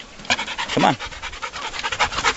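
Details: Dogs panting on a trailer ride to a lake, with seven-week-old puppies from a July 2013 litter along with older dogs. Quick breathy bursts repeat, and a brief whining tone rises and falls midway. A person speaks nearby.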